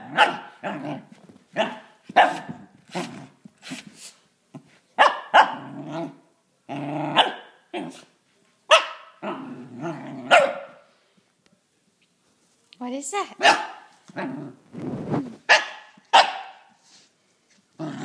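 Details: A six-month-old Pembroke/Cardigan corgi cross puppy named Gus, unsure whether to attack or play with a drill, lets out rapid volleys of high, sharp barks, pauses briefly, then resumes with growl-edged yelps.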